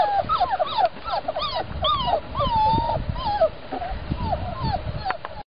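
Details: English Jack Russell Terrier puppy giving a rapid series of high, squeaky whimpers and whines that rise and fall in pitch, many overlapping short cries across the clip, with faint background noise.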